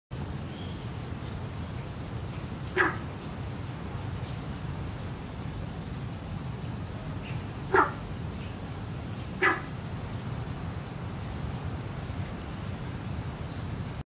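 A barking frog gives three short, explosive bark-like calls, widely spaced, over a steady low rumble.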